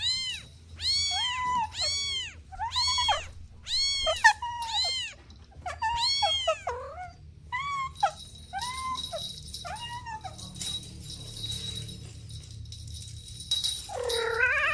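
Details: Kittens romping with their mother and two siblings give a rapid series of short, high, arched mews, roughly two per second, then sparser ones and a longer mew at the end, with a faint steady high tone behind.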